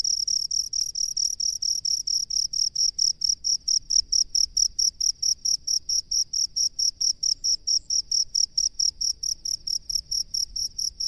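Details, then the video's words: Crickets dwelling in rice paddies give a long, regular train of piercing high chirps, a little over two each second, steady in loudness, with only faint low background noise. "SUARA JANGKRIK PENGHUNI SAWAH"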